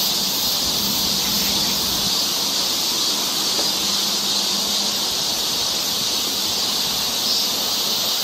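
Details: Cicadas droning in a Korean summer forest near Seoul, the shrill, sizzling chorus running without a break at even volume, a faint low tone beneath.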